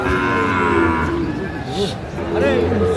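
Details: Sahiwal bull at a busy cattle market in Cumilla, Bangladesh, on 11 February 2025. A drawn-out low lowing call opens, followed by short wavering moo fragments amid market chatter.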